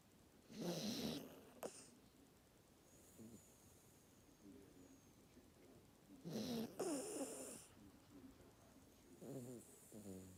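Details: Exhausted Maltese dog asleep and snoring: two loud rough breathy snores about six seconds apart, with faint nasal whistles and small snuffles between them.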